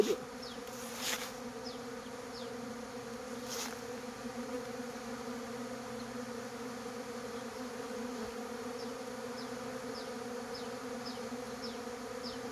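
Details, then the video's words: Kept bees in Khmer beekeeping during the dry season, starting hard work near dawn: a steady, even droning hum that holds without a break, with a couple of brief knocks and faint high chirps behind it. "ឃ្មុំចាប់ផ្ដើមធ្វើការខ្លាំង នៅពេលជិតភ្លឺ"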